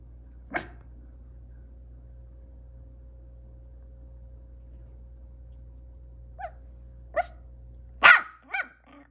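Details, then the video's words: Maltese puppy giving scattered barks over a steady low hum: one sharp bark early, short soft yips around six to seven seconds, then a louder harsh bark followed by a quick second one near the end. "Barking Maltese Puppy | Cute Barking Sounds"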